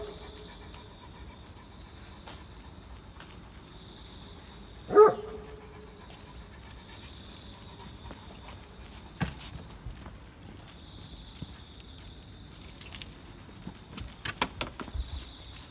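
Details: A Great Pyrenees, the giant breed, walks in morning rain at Oyama Yuen Harvest Walk, giving one brief voiced bark-whine midway. Scattered clicks, rustling and handling noises follow under a constant low hum.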